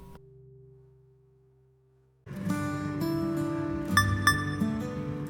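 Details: A soft sustained tone fades out, then plucked guitar music with layered instrumental chords takes over, with no animal voices.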